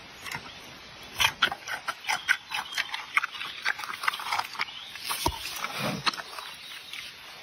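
A giant panda chews bamboo with loud, irregular crunches and snaps.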